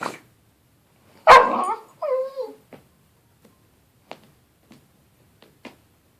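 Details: Toby, a puppy, having a temper tantrum indoors: one sharp, loud bark followed by a wavering, whiny growl lasting about half a second, then a series of soft, scattered clicks and taps.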